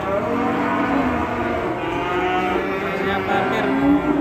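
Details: Raging cattle from Indonesia give a continuous dense bellowing, layered drawn-out moos blending into one another with steady loudness, a high constant hiss running throughout.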